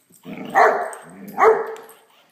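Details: Blacky, a Great Dane puppy, at play with a toy dog: two loud barks about a second apart, each followed by a softer, growly tail.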